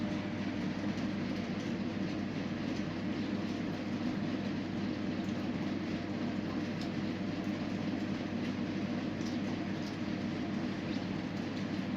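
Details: Steady, dense rumble of a passing train with rattling wheels fills the whole stretch, with no animal calls audible.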